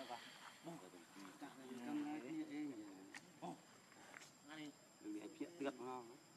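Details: Baby monkey named Leo, hungry and crying to beg its mother for milk: wavering, whining harmonic cries in short bursts, rising and falling, repeated several times with brief pauses, plus faint rustling in an outdoor setting.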